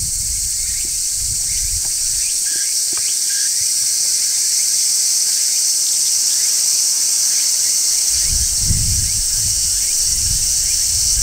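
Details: Large brown cicada singing on a tree in midsummer, natural sound with no music; a continuous, steady, sizzling high-pitched shrill drone fills the whole stretch, with soft low rumbling thumps near the start and end.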